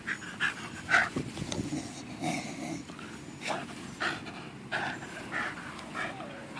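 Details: Staffordshire Bull Terrier while working out, breathing hard in loud, breathy pants that come in uneven bursts about once a second, each a broad rush of air with short pauses between.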